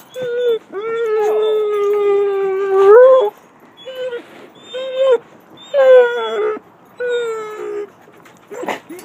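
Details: Gracie, a seven-year-old Basset Hound, greets her owner when picked up after a vacation, with a cocker spaniel and a mutt also present: a long, steady, mid-pitched howl, then shorter wavering howls and whines in bursts, with quiet talking.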